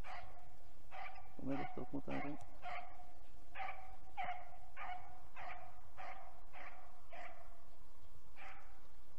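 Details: A hunting dog gives a run of sharp, evenly spaced barks, about one per second, while trailing roe deer in 2021's first chase of the season. A brief cluster of quicker, rougher yelps breaks in near the start.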